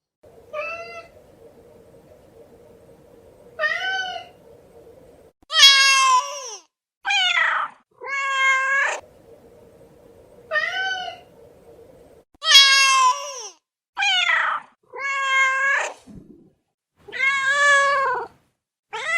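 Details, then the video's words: Several domestic cat meows repeated roughly every second, alternating thinner higher mews with louder strained, wavering meows, over a steady faint low hum in the quieter stretches. "Som de Gato, Gato miando"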